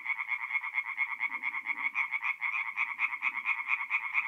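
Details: Mid-April night at a north-east Italian forest pond where tree frogs sing in chorus; brisk rhythmic croaks pulse about twice each second in two tonal bands, over a faint low murmur.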